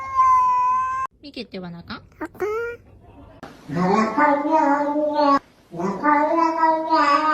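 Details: A cat from a compilation of funny, cute cat calls gives one steady, drawn-out meow. Short rising chirping calls follow, and then human voices take over the rest of the recording.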